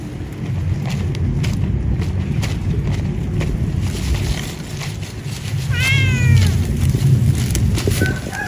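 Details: Cat eating after work at an animal husbandry setting gives one short meow partway through, a clear tone that falls in pitch, set against a constant low rumble and broadband noise.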